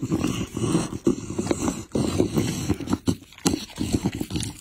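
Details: Pit bull feeding on chicken and raw meat, with dense, rapid chomping and gnawing, sticky smacks and occasional louder crunches throughout.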